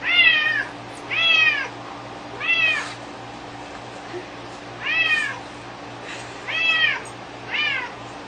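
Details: A house cat absorbed in its string toy meows repeatedly, six bright arched calls rising then falling, roughly one every second or so, with a short pause midway and faint room hum behind.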